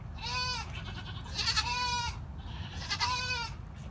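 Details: During labour, a mother goat gives three quavering bleats about every one and a half seconds, nasal and rich in overtones, with faint low background noise.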